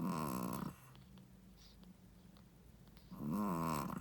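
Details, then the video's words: Shih Tzu mother dog, first-time mother, asleep and snoring indoors; a long raspy snore opens, a quiet breathing gap follows, then another rattling snore about three seconds later. "How loud does a shih tzu mommy snoring?/ Shih tzu snoring"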